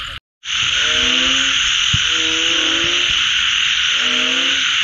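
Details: Frogs calling after rain. Three drawn-out, low, nasal croaks, each about a second long and spaced roughly a second apart, sound over a loud, steady, high-pitched buzzing chorus that fills the background. The clip opens with a brief moment of silence.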